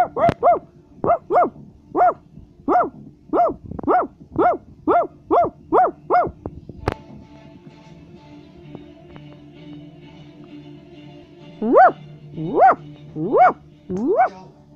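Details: {'caption': 'Basset Hound giving a rapid run of about a dozen evenly spaced, ringing barks. A sharp knock and a stretch of faint, steady tones follow, then four more rising barks.'}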